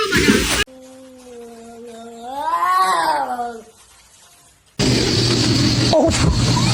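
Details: Domestic cat from a compilation of fighting cats, giving one long drawn-out yowl that swells and rises in pitch, then falls away over about three seconds, framed by abrupt bursts of loud noise before and after.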